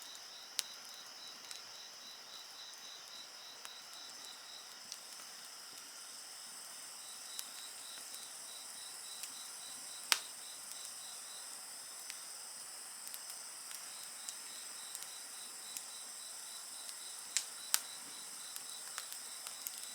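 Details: High continuous insect trilling with a beaded, pulsing line underneath, heard over a bonfire; scattered sharp crackles and pops from the burning wood punctuate the steady chorus.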